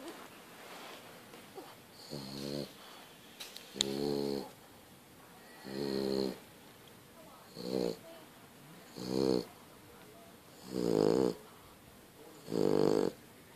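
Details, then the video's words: A pet French Bulldog snores very loudly in rough, rattling bursts about every two seconds. "french bulldog snoring"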